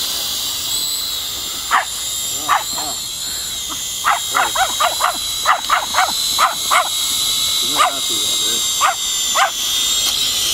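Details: Pomeranian puppy Rey, seven months old, reacting to a flying drone with around sixteen shrill yips, scattered at first, then a fast run in the middle, against the drone's continuous high motor whine.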